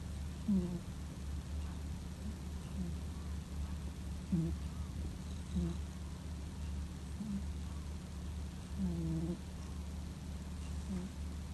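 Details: Male Scottish Fold cat born in 2017, asleep and snoring like an old man: soft, short nasal whistling tones repeated at uneven intervals over a steady low hum.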